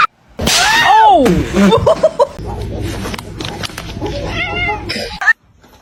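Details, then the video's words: Kitten crying: a loud, high arched meow rising then falling, followed by several shorter wavering mews, with a steady low hum and faint room noise behind, ending abruptly. "kitten meowing crying"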